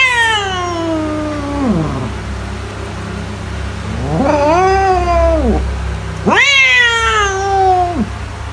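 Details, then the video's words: Cat meows meant to drive mice away: a long falling wail that slides down, then after a pause two strained, rising-and-falling meows, over a steady low-pitched hum. "CAT SOUNDS TO SCARE MICE AWAY"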